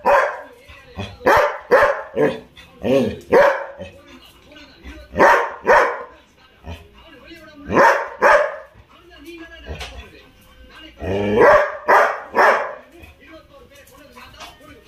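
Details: Evening barking from Labrador Retrievers Tom, Mona, Ruby and Sona: a steady run of sharp, rough barks, often in pairs or triplets, repeating about twice a second in bursts over fifteen seconds, with some voices faintly underneath.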